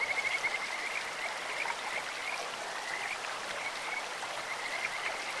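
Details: Kajika frog voice by a clear stream: brief high chirping trills at the start and a few short piping notes later, partly masked by loud, continuous rushing water.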